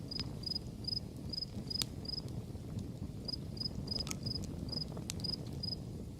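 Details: Crickets heard behind a crackling campfire; steady high chirps repeating roughly every half second, briefly pausing mid-stretch, while sharp wood pops cut through a low roar from the fire.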